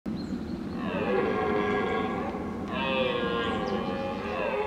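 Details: A red deer stag during the 2022 rut roars to impress rivals, giving two long, hoarse, bellowing roars back to back.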